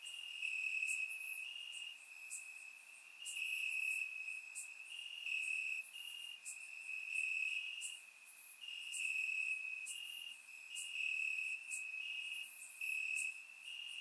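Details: Crickets chirping in the grass on a warm summer night in Bulgaria, captured with a surround microphone: a steady high trill, with brighter pulsed bursts rising and fading every couple of seconds above it.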